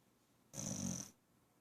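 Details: Female pet dog sleeping indoors, giving one short, raspy snore about half a second long, a breathy rush with a thin hissing whistle on top, over a quiet room.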